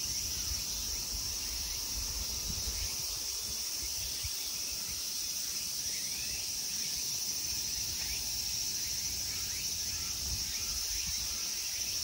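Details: Summer insects at the Ikegami Honmonji temple park in Tokyo, Japan, make a steady, unbroken high-pitched shrill drone, with faint rapid chirps above it and low rumbling background noise.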